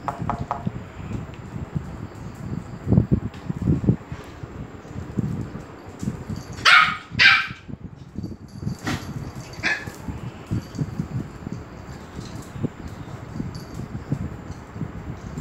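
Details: Excited dogs at Phuket Dog Resort in Thailand as Pomeranian Fendi arrives: two loud, bright barks in quick succession near the middle, a fainter bark a couple of seconds later, with low shuffling noise throughout.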